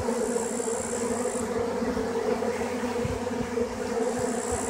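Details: Honey bees at work, giving a continuous, dense, low droning hum that stays steady throughout. A thin high whine comes and goes over the top.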